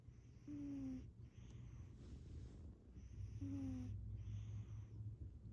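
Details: A female cat named Shanti snores while asleep, each breath a soft low rasp, two carrying a short squeaky whistle, with a constant low background hum.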